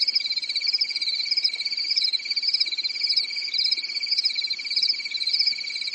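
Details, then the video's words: Nighttime cricket chorus from a quiet European summer forest, shrill and continuous, the upper trill pulsing quickly and rising and falling slightly in waves over a constant high ringing note. "Grillen zirpen in der Nacht"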